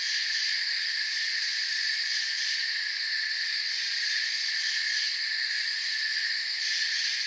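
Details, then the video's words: Crickets in a calm forest at night keep up an endless shrill chorus. The high trilling swells and pulses slightly at times but never stops, with nothing else heard. "Forest Sounds and Crickets"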